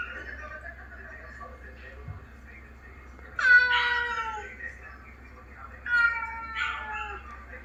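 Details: Domestic ginger cat in New Zealand, recorded sounding sad after a trip to the vet, played back to its housemates: two long meows with descending harmonics, the first near 3.5 seconds and a shorter one near 6 seconds, over low indoor hum.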